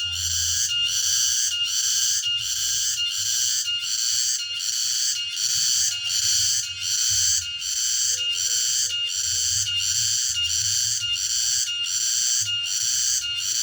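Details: Late-afternoon cicada chorus from the countryside: intense high-pitched rasping buzz pulsing rhythmically, roughly one beat every 0.75 seconds, unbroken over the whole stretch, over a soft low background hum.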